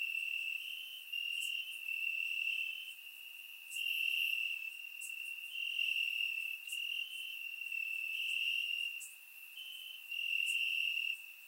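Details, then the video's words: Night chorus of crickets in summer grass, Bulgaria, surround-microphone recording; unbroken shrill trilling that pulses in strength over stretches of one to two seconds, several insects overlapping, light high ticks scattered through. "Cricket Sounds - Crickets Chirping at Night"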